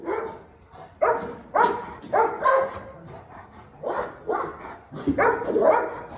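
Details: Angry dog rebelling against the top dog in a tense confrontation; irregular, rough barks, some doubled, spaced about half a second to a second apart with quieter gaps between.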